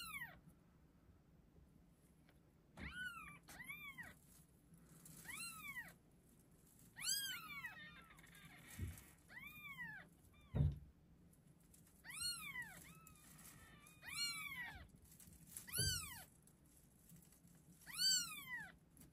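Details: Six just-delivered chocolate and chocolate-and-white Exotic Shorthair or Longhair kittens, born 25 February 2024 after a long night of delivery, sex not yet known, give thin, high meows that rise and fall in arched squeaks.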